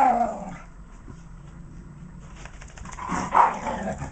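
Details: Patterdale Terriers Jack and Alfie at play, giving a brief whine, then rough growling mixed with a gruff bark near the end over a steady low background hum.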